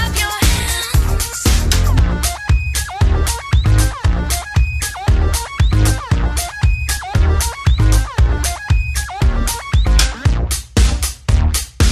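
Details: Pounding disco-style dance music with a heavy regular beat fills the recording, with no animal sounds.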